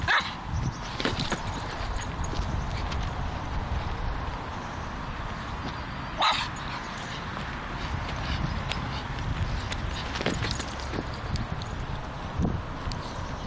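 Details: A Griffon Bruxellois named Elliot at play with a football gives a few scattered, abrupt yapping barks spaced several seconds apart over a steady rustling, noisy background.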